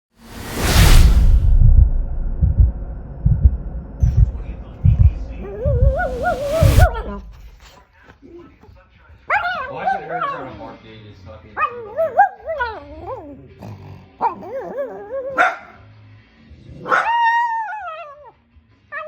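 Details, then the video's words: Small dog making odd vocal sounds: wavering, whine-like yelps and warbling cries in the second half, following rumbling thumps and bursts of noise early on. "LITTLE DOG MAKES CRAZY SOUNDS!!!!"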